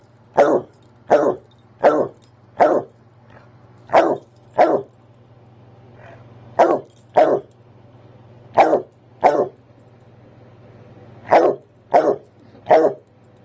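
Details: Nemo, a basset hound, barks because it is time for his nightly walk: loud, broad barks in pairs and short runs, about 81 a minute with short pauses, over a low steady hum.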